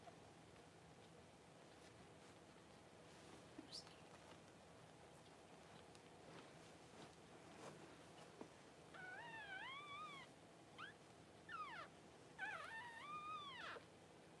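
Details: Newborn Cavalier King Charles Spaniel puppies just whelped by their mother Paris, her first litter, crying indoors: thin, high squealing cries that arch up and down, in quick bursts through the last few seconds over a low steady hum.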